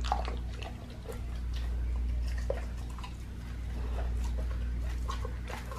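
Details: Pit bull chewing a raw lamb leg in a small indoor space, wet smacking and crunching bites at an uneven quick pace, with a constant low hum underneath.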